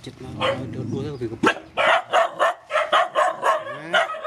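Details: Rescue dogs, mothers with puppies, being fed: a person speaks first, then a dog breaks into steady barks about twice a second.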